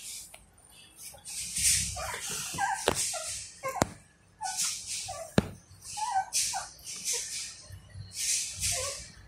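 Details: Newborn Golden Retriever puppies, eyes not yet open, give thin, high squeaks and whimpers, hungry and calling for their mother to nurse.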